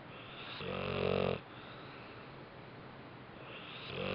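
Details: Bentley, a pet dog, snoozing after a rough day: one loud, droning snore under a second long, quiet breathing, then the next snore starts to swell at the close.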